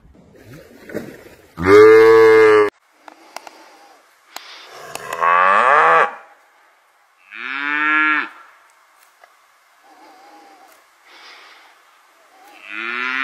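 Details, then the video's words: Village cow on a countryside dairy farm giving a series of loud moos, each about a second long, some steady and some sliding upward in pitch, with quieter low lows between them. "Real cow moo mooing sound"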